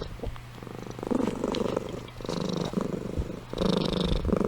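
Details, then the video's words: Amy the cat purring while asleep, a buzzy pulsing rumble rising and falling with each breath, three or four swells across the few seconds. "Compilation of Amy Purring & Snoring"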